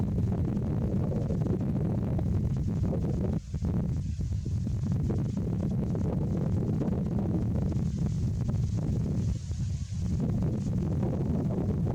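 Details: Heavy low rumbling, like wind or engine noise, fills the recording steadily with two brief dips, and no animal voice stands out.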